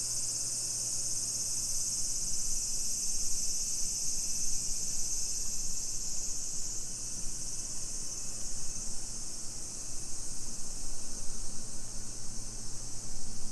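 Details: Summer cicadas in a suburban Nisshin neighborhood near Nagoya, Aichi Prefecture, Japan, at 2 PM on 28 July 2021: a steady, high, hissing drone that holds without a break, with a low hum of background noise beneath.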